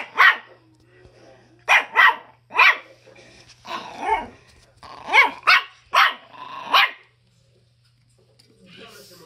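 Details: 2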